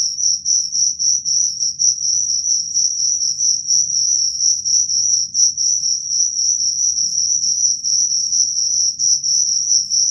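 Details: Persistent high-pitched cricket trilling, fast pulses near four per second blending into an almost continuous shrill ring, over a quiet low rumble.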